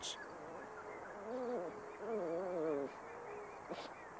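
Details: Coyote giving wavering, quavering tones that rise and fall in two bursts, each lasting over a second, separated by a brief pause, over a soft steady background hiss.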